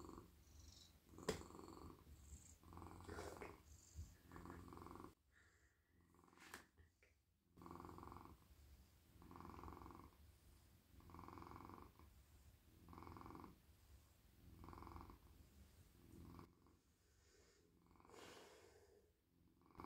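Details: A very friendly male house cat is petted at night while melting in a lap. Steady rhythmic purring pulses roughly every second and a half, broken by two quieter stretches filled with soft rustling of fur and hands.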